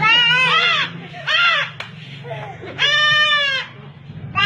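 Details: Goats, including young kids, butting one another while bleating loudly; three strong harmonic bleats with a wavering tone, about one each second, over a steady low hum, with people talking and laughing between calls.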